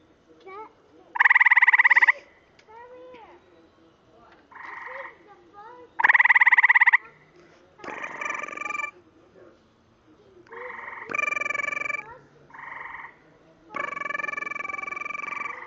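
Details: A frog with an inflating throat bubble gives loud, nasal croaks in short bursts, spaced irregularly a second or two apart.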